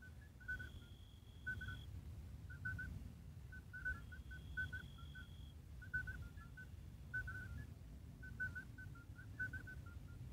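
Midwife toads give short, pure, flute-like piping notes, several callers overlapping in a soft chorus.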